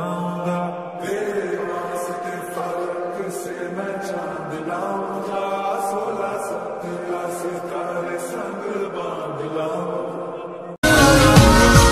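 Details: Steady chanted vocal music with sustained tones, cut off near eleven seconds by a sudden loud burst of broadband sound; no animal voice.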